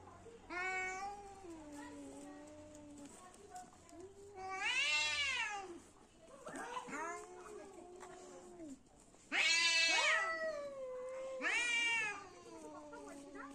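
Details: Two cats fighting, trading drawn-out, wavering yowls with rich harmonics. Long moaning wails alternate with sudden louder rising-and-falling screeches, the loudest bursts near the middle and end.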